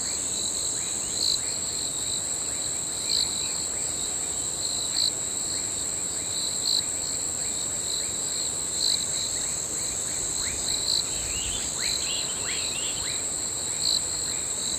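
Crickets trill steadily at night, a high continuous shrill over a lower pulsing chorus.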